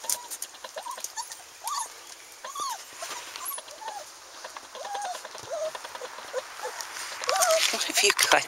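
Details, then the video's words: Standard Poodle pups, one month old, playing outdoors: repeated short arched whines and squeals, several per second at times, over a woman's voice and light rustling. "Poodle Pups one month old playing outside"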